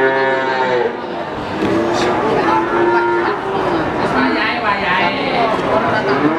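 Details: Cattle at Pasar Sapi Wagenan, a cattle market in Pati: several overlapping harmonic moos, some long and level, others bending up and down, over steady crowd chatter and background voices.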